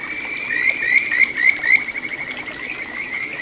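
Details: Kajika frog in a small stream flowing through satoyama, Ichihara, Chiba Prefecture, recorded June 9, 2022; a quick run of five rising whistled chirps, then a sustained thin trill at the same pitch, with trickling water beneath.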